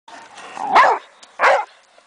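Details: A 9-year-old Boxer plays and causes trouble in a backyard alongside a 12-year-old foster dog. Two loud, harsh, broadband barks sound about three-quarters of a second apart, with a softer, rougher vocal lead-in before the first.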